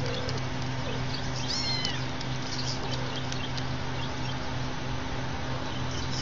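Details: A cat gives a few short, high, wavering meows in the first two seconds, then quiets, all over a steady low electrical hum and faint background noise.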